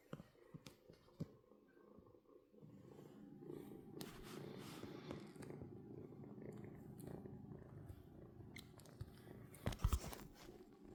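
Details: A kitten's steady low purr builds after a couple of seconds and continues, with handling noises and a few sharp clicks near the end.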